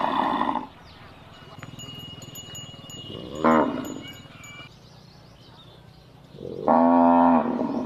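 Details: Cattle lowing, played to locate a lost calf; three moos spaced a few seconds apart, the last one long and loud with stacked harmonics, backed by faint chiming.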